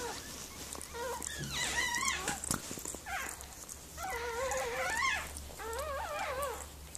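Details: Miniature Pinscher named Mirella whimpering while giving birth to puppies indoors; wavering, high whines rise and fall in pitch, in three long bouts with short breaks, over a steady low hum.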